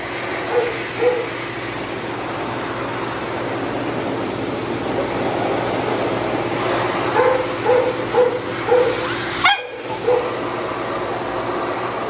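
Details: Shih Tzu that bites for pain during de-matting and drying, always matted. Brief high whines at the start, then a cluster of quick whimpers and one sharp rising yelp, masked by a constant loud dryer hiss.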